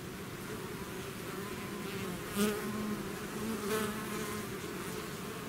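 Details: Swarming bees out of the hive give a steady low drone, with two louder close fly-bys standing out briefly against the constant humming mass.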